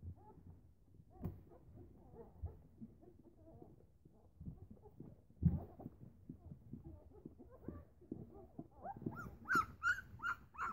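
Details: Newfoundland puppies, eleven days old, at morning feeding as their mother comes near; soft low squeaks and grunts from several pups, with a few clearer high whines near the end.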